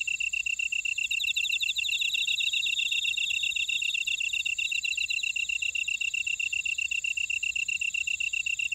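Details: Insects calling in a buckwheat field at Ora-dong, Jeju City, on volcanic Jeju Island, South Korea: steady high chirping in rapid even pulses, several callers layered into a continuous shimmering chorus with a fainter trilling voice above.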